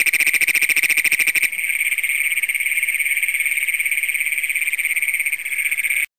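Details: Great Plains toads at night in Brown County, Minnesota, June 27, 2010, first documented in the county, recorded on a Canon Power Shot: coarse rapid pulses open, then a smooth continuous high trill carries on until an abrupt cut.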